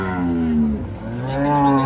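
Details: Cattle coming down off a truck give loud, deep moos, a sustained tone that dips slightly in the middle and swells again, with faint background music.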